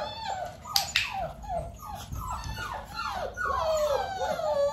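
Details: Nearly six-week-old Dalmatian puppies at a clicker training session with their mother Arya nearby; a steady run of short, high, downward-sliding whines, one after another, several pups overlapping, with a few sharp clicks near the start.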